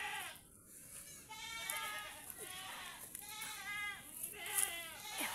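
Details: Domestic goats kept by their owners and tied up outdoors give a sequence of quavering, nasal bleats roughly every second, some overlapping, with light background noise.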